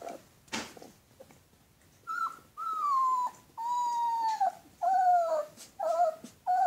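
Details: Alaskan Malamute pups whining indoors: long, clear tonal whines that slide gently downward, several held for nearly a second, coming in a run of five or six cries after a quiet opening with light rustling.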